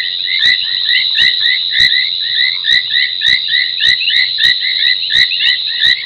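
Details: Sabi Sand, South Africa, Djuma's Gowrie dam at 23:46 on 30 January 2021: foam nest tree frogs in a thick chirping chorus, with prominent clicks recurring every half to one second.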